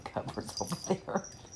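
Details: Dogs wrestling in rough play, producing a quick run of short grunting growls and whimpers a few tenths of a second apart, with faint room noise behind.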